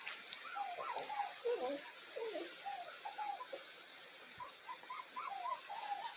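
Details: Puppy from a compilation of funny dogs, giving a run of short, high, wavering whimpers and squeaks that rise and fall quickly, clustered in bursts with brief pauses, over a quiet, slightly hissy background.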